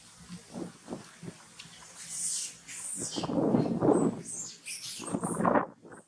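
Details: Hungry newborn monkey Farrah crying after Fauna denies her milk; soft short bursts in the first seconds, then louder, harsher cries around the middle and end, with thin high squeals above.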